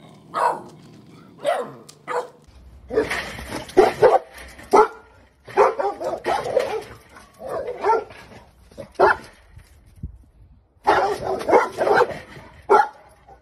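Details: Presa Canario dogs from an April 2020 compilation, barking in short deep bursts, first single barks then dense rapid volleys, pausing and resuming; a quiet gap near ten seconds precedes another burst of barking.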